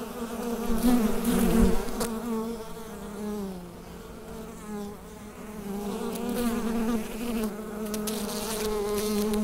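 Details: Hive full of bees recorded through a USB microphone, giving a continuous low buzzing drone with rich overtones; loud at first, dipping quieter in the middle, then rising again, with a sharp click near the second mark.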